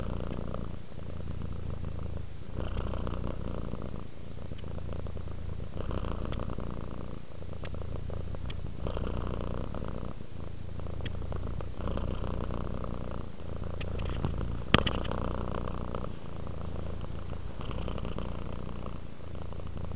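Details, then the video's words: Relaxed domestic cat purring while resting, a steady low rumbling drone broken into long breaths of roughly one to two seconds each, with faint soft clicks and small rustles indoors. "Cat ASMR, Sleep while Purring Cat Relaxes"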